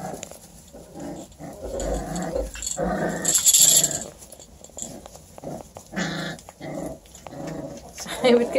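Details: Litter of thirteen 5-week-old Beagle puppies, bluetick or tricolor, whose mother Nike is a deer hunting dog; short growly, whiny puppy bursts come in irregular spurts while people talk nearby.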